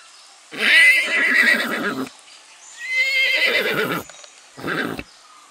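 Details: Domestic goat imitating a horse, giving three long, wavering, neigh-like cries with rich harmonics, the first two each over a second long and a shorter one at the end, with quiet pauses between.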